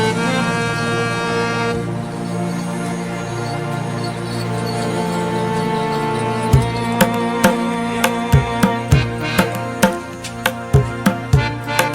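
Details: Instrumental music with steady drone tones and sharp rhythmic drum strikes repeating about once per second in the second half, no animal sound heard.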